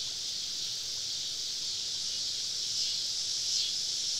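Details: Woodland cicadas on a southern summer evening while camping, a steady high sizzling chorus with a couple of brief louder surges near the end.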